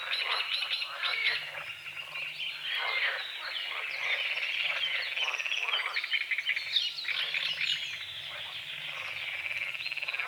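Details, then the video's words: Frogs croaking at dawn over a small lake on the edge of a forest, with morning fog on the water; a dense chorus of rapid, rasping croaks, overlaid with bird song and chirps. "The sounds of morning frogs croaking"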